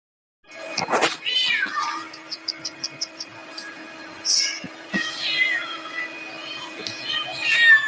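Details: Domestic cat meowing: a loud, drawn-out harmonic meow near the start, then a falling, wavering mew. Softer short mews and faint clicks follow over a steady background hum.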